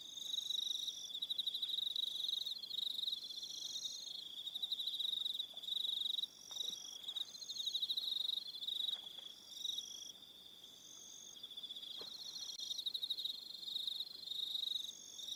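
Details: Evening on Aroha Island, New Zealand, filled with cricket calls: a constant high-pitched trilling chorus, overlapping pulsed phrases repeating every second or two, brief dips in volume, faint clicks in the background.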